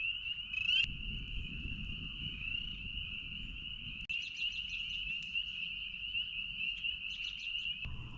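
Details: A dense chorus of spring peepers at night in early spring, around Easter, on the shore of Lake Jean at Ricketts Glen; countless high piping peeps merging into one shrill, ringing wall of sound beside a crackling campfire.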